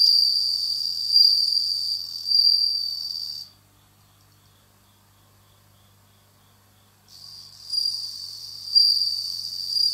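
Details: Captive bell cricket that has just begun singing in autumn: a high, ringing, bell-like trill with fainter higher overtones, pulsing in loudness, breaking off for about three and a half seconds of near silence before resuming.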